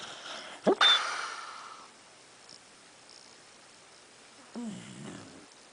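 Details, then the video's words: Pete, a 10-year-old pet beagle, asleep: a sharp nasal snort bursts out early, then near-silence, then a short, low, throaty snore with a buzzing tone, all in a quiet indoor room. "Pete the Beagle Sleeping and Snoring"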